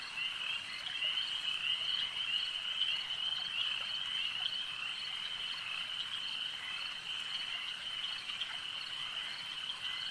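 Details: Frogs calling at a lake in a dense, continuous chorus, a steady high trilling band with overlapping rapid croaks, no single caller standing out, over a soft background hum of nighttime ambience.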